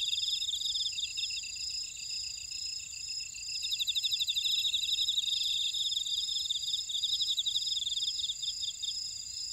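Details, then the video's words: Field insects in an Ora-dong buckwheat field, Jeju, South Korea: layered shrill trills with fast pulsed chirping that shifts between callers, a very high pulsed series entering partway through, no other sounds. "제주 메밀밭의 풀벌레 소리"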